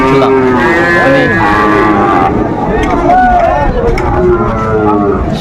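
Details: Sahiwal bull at a Mymensingh cattle market, Bangladesh, giving several loud wavering moos, some rising and falling, amid talking buyers and market noise.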